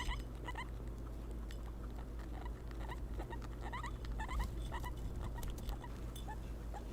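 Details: Three female pet guinea pigs (Peruvian, English and Teddy breeds) squeak, voicing their feelings; brief high chirps repeat quickly over a loud low electrical hum and background rustling.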